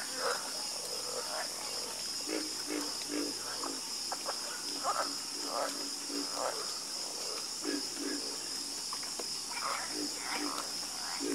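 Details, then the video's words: Many frogs croaking together at night, dense run of brief guttural notes repeating roughly every second, layered over an unbroken high insect whine. "Calming Sound Of Harmonious Frog Croaking"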